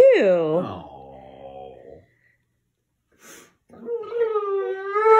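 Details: Dog indoors, upset with its owner for not giving it attention, lets out a drawn-out falling howl into a moaning wail, goes quiet briefly, then gives a long sustained higher whine.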